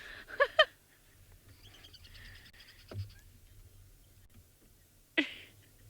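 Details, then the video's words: On an African safari, a squirrel at a termite mound shared with dwarf mongooses gives sharp, clipped alarm chirps: a quick pair, then another after a pause. Two squirrels are nearby, and another squirrel is alarm calling. "Oh, now I hear another squirrel alarm calling."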